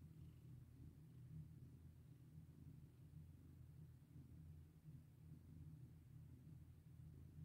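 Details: Steady low purr of a domestic cat enjoying being petted, unbroken throbbing rumble across the whole stretch.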